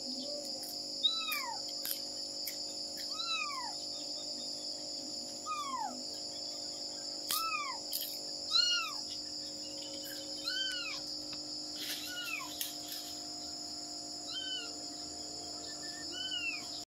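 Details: Searching for her kittens, a mother cat repeats about fourteen short, high, arched mews at an uneven, insistent pace, some in quick pairs, with a continuous high whine and faint clicks underneath.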